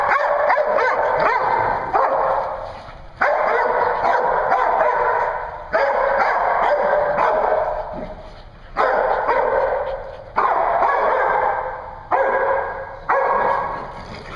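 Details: Dogs at a dog daycare in Hooksett, New Hampshire, recorded 01 02 2016: bursts of harsh, harmonic barking in long overlapping runs, each a second or more, with brief quieter gaps between them across the whole stretch.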